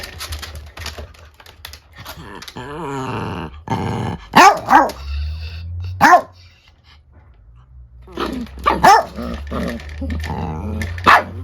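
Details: Indoor confrontation between an angry female Chiweenie and an old miniature dachshund: low rumbling growls and whiny snarls broken by a few sharp barks, with background hum.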